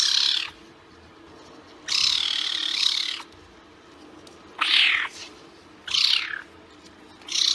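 A caracal gives five harsh, hissing, breathy calls, each about half a second to a second long, every one to two seconds, over a low steady hum.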